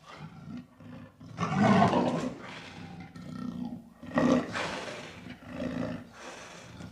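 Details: Leopard giving rough, low roaring rasps in irregular bursts, the loudest near the start and again midway, separated by quieter breathy growling stretches.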